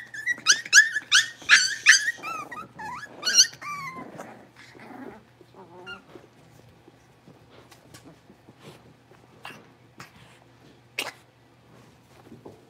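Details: Blenheim Cavalier King Charles Spaniel puppies, a litter of five born at New Year's, moving into a bigger pen. A burst of shrill, harmonic yips and squeals opens the clip, followed by softer whimpers and scattered faint clicks and taps.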